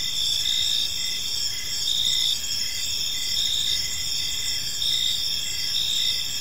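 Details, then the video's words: Crickets in a park at evening give continuous high-pitched chirping, several callers overlapping; rhythmic bursts swell and fade in slow waves against quiet low background noise. "Park Serenade: Cricket Sounds in a Peaceful Park"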